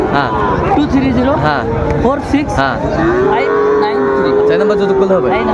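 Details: Lowing of Sahiwal-breed bull calves at a Comilla cattle market, Bangladesh, 18 October 2024: a few short moos in the first half, then one long, steady moo from the third second, over busy voices of buyers.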